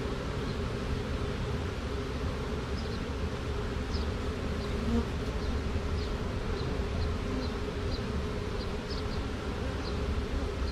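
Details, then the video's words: Caught honey bee swarm with two queens walking into a box over a piece of drywall; constant low droning hum of the mass of bees, overlaid by short high faint chirps repeated every second or so. "Classic Honey Bee Swarm marching in the box"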